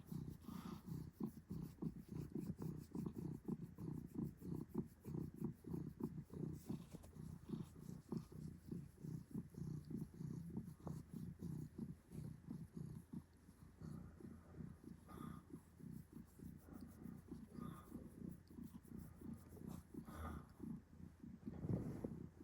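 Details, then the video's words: A domestic cat named Adam purring indoors: a steady low rumbling purr that throbs in quick, even pulses throughout, with a faint constant high-pitched hum in the background. "Adam purrs"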